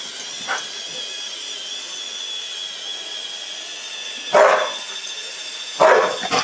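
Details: Samoyed named Wonder barking while confronting a Roomba robot vacuum indoors; one faint early yelp, then two loud, short, harsh bark bursts about one and a half seconds apart near the end, over the vacuum's steady high whirring hum.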